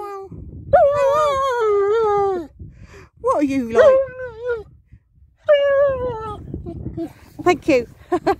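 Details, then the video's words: German Shepherd dog bursting into howling song indoors: three drawn-out tonal wails, each gliding slowly downward, the middle one wavering and bending, with brief sharp vocal bursts near the end. "German Shepherd bursts into song!"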